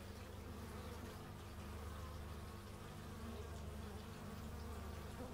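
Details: Stereo x/y recording of bees in nature: a continuous low droning buzz with even loudness throughout, and scattered brief higher-pitched whines from insects flying close by.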